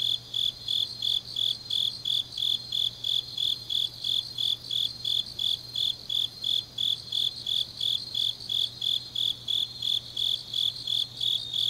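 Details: High, ringing pulses from grass insects late on an autumn night in Changnyeong, Gyeongnam, repeated regularly around three times per second for the whole stretch, layered over a faint high shimmer of more distant insects.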